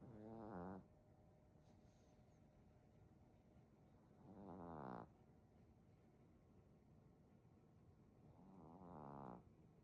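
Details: A Maltese puppy snoring heavily: three long, rasping snores, each swelling in loudness for about a second, come roughly every four seconds, with quiet breathing between them.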